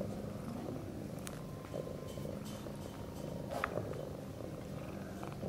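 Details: Sphynx cat and kittens at play in the nest, a mother among them; continuous deep rumbling purr, even and unbroken, with light scratching and rustling over it.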